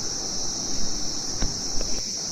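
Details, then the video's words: In the early morning at Darjeeling Mall, India, crickets keep up a steady, high, shrill ringing drone, with a few soft thumps and rustles below. "বন্ধুরা, ঝিঝি পোকার ডাক শুনতে পাচ্ছেন?"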